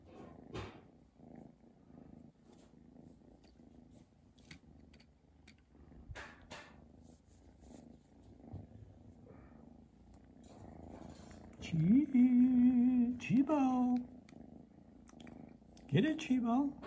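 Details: Chi, a house cat, purrs with a Christmas present: a low continuous rumbling purr with faint clicks, followed near the end by two or three louder, steady, tonal drawn-out calls.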